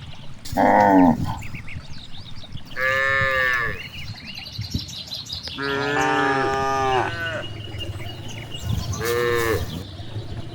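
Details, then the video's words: Several moos from cows grazing in a big rice field: a short loud call, then three longer harmonic moos spread over ten seconds, one wavering and long, with constant rustling, breeze and faint birdsong underneath. "the sound of cows"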